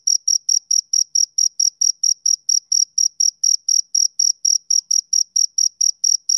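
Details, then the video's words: Male cricket calling on a summer evening, fast shrill chirps about four per second, evenly spaced and steady in loudness, nothing else audible. "Cricket Chirping Sound Effect"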